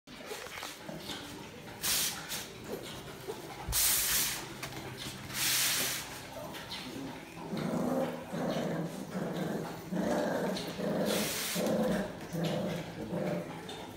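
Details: A Miniature Bull Terrier playing rag tug-of-war, with a little snacking in between, makes low, rumbling growls and throaty grunts in irregular bursts with the odd whine, broken by sharp scuffs and bumps.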